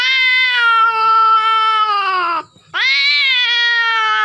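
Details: Loud drawn-out yowl from a female cat in heat while mating, a long steady moaning wail that sags in pitch, a brief break, then a second wail that rises sharply before holding steady.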